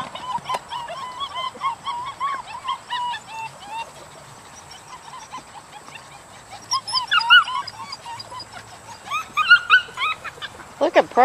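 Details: Dutch Shepherd puppies, a group of seven born July 18, 2013, make a run of thin, rising whines for several seconds, then fall mostly quiet before sharper squeaks and yips break out again near the end.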